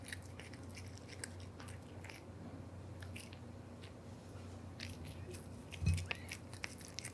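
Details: Male Devon Rex cat Aura biting into a big dry fish made for pets, recorded ASMR-style: irregular crisp crunches and gnawing clicks, with one louder thump near the sixth second, over a constant low hum.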